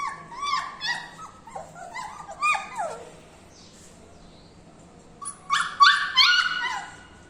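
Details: Puppies offered for sale in India, 7 Dec 20, give high, whining whimpers and short yelps that slide downward in quick bursts, a pause in the middle, then a louder cluster of overlapping squeals near the end.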